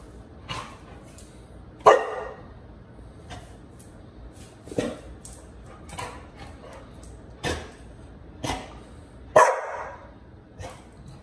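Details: Pit Bull named Bullet, indoors, pestered by a puppy named Liberty; short sharp barks and yips at irregular intervals, a few louder ones standing out, with low background hum.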